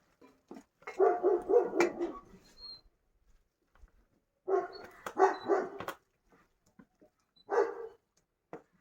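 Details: Farm Kangal dogs waiting to be fed give three bursts of quick, clustered barking, each lasting about a second or two, with near silence between them.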